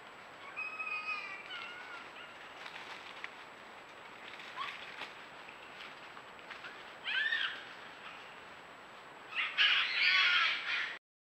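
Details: Red foxes near a burrow with cubs, in the territory of a breeding pair, give thin, high, wavering calls and then harsh, raspy, shrill screams; a female screaming in the male's presence is also recorded nearby.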